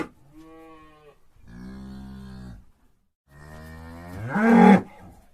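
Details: Three cow moos: two soft, low, steady lowing calls, then a louder moo whose pitch climbs and strains at the end.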